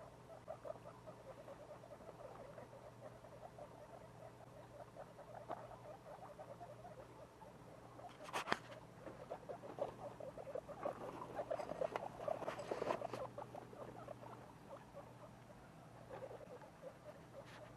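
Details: Two-week-old baby guinea pigs making rapid, soft, low chattering squeaks in a continuous patter, louder and denser for a few seconds midway, over a faint steady hum.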